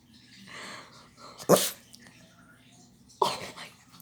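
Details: Pet dog reacting to a knock on the door indoors: two abrupt, explosive bark bursts about two seconds apart, with faint breathy sounds beforehand in a quiet room.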